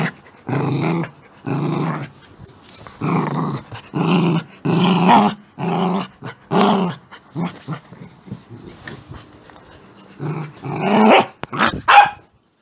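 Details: An angry Beagle growls in low, rumbling bursts broken by sharper, higher yips near the end.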